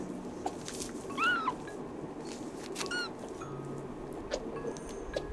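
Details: Rescued kitten on its tenth day in care, ear itchy, trying to scratch but its foot cannot reach. Two short, thin, high mews about two seconds apart over a soft, steady background hiss.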